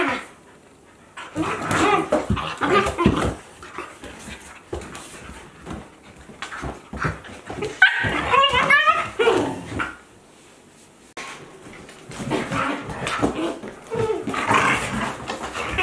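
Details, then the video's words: Playing Akitas, adult-sized Aala at fourteen months with two-month-old puppy Olavi, 2023: scattered growls and scuffles, a cluster of high wavering whimpers and yips near the middle, quieter stretches between bouts. "Akita Inu | Playing Sounds"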